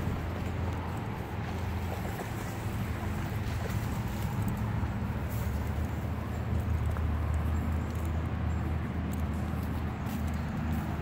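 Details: Steady low rumbling wind or water noise fills the whole stretch, with no animal voice standing out.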